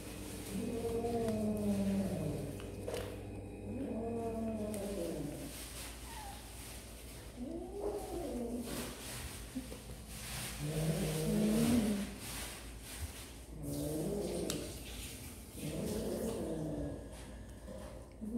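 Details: Kittens at snack time utter a series of arched, moaning meows, one roughly every two to three seconds, low and harmonic-rich, over a faint indoor hum with scattered clicks.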